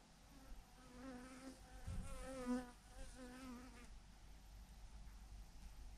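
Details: Honey bees, thousands clustered in a massive clump hanging from a branch: a wavering, droning buzz with stacked overtones, swelling and dipping in pitch for about three seconds before fading into low background rumble.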